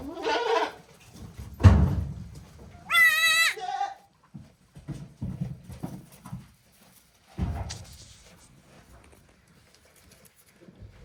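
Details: Newborn goat kids, one day old, at Yoshigake farm in Japan on 17 April 2024: a clear, high, quavering bleat lasting under a second, with scattered rustling, bumps and brief low noises around it.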